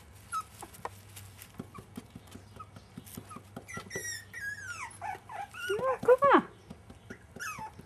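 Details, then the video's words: Five-and-a-half-week-old Jack Russell Terrier pups: soft ticking and tapping at first, then a run of high, wavering whimpers and squeaks that climbs into a louder cluster of short yelping cries before fading. "Jack Russell pups 5 1/2 week"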